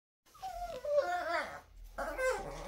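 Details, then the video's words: Dixie, a pet Chihuahua, talking indoors: a warbling whine that glides down, then rises and wavers in a yodel-like run, breaks off, and returns with a shorter wavering phrase. "Dixie Chihuahua talking."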